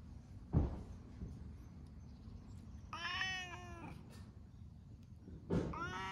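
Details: Stray cats sunning side by side in Japan, including an affectionate orange tabby; a clear drawn-out meow followed later by a second brief meow, with thumps and a low background rumble.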